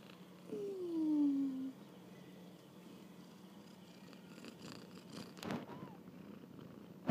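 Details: A kitten on its first walk about gives one loud, falling mew lasting about a second. Quiet follows, then scattered clicks and rustling, and a faint short rising call near the end.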